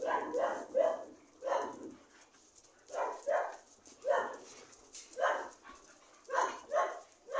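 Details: Dog barking in evenly spaced short, mid-pitched barks, often in pairs, about a dozen across the stretch, with quiet pauses between bursts.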